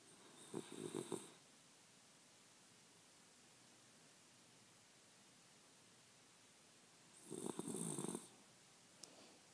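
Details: A sleeping 8-year-old female Shiba Inu, dozing in her owner's arms, gives two raspy, rattling snores separated by a long quiet pause; she tends to twitch while dreaming.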